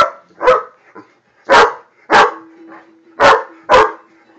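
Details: A Great Dane that cannot stand a flame gives loud, deep, harsh barks at it, mostly in pairs about a second apart.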